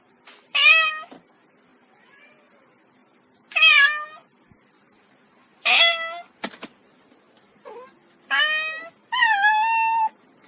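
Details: Kitten meowing in short bursts, six separate high harmonic meows spaced unevenly over ten seconds, each bright and slightly falling at the end, with a sharp click between the third and fourth calls and a quiet background.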